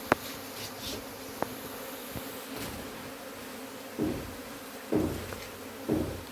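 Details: Honey bees buzzing steadily as their hive is taken out, a constant low hum from many insects, overlaid by several swelling whooshes and a few sharp taps from the work.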